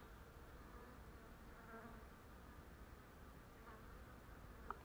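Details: Honey bees at Turza starting their day's work, a steady low buzzing drone from many bees holding even throughout, with a faint click near the end.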